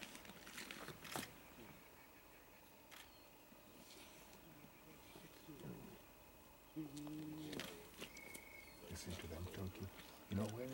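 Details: At a kill in Vumbura, Okavango Delta, Botswana, spotted hyenas give low, rough growling sounds, then louder harmonic wavering calls near the end, over a background of scattered clicks and knocks.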